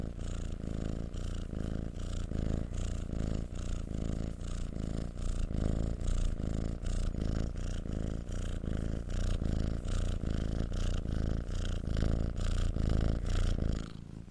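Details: A kitten purrs steadily for over fourteen seconds, a deep even rumble with evenly spaced breath cycles and little change in loudness until it stops at the end.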